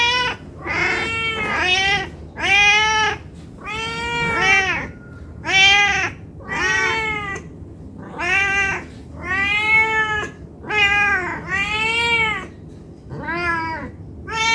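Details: Hungry cat begging to be fed, a fast nonstop string of about a dozen meows, short and long cries mixed, rising then falling in pitch, some overlapping in quick pairs, close and loud indoors.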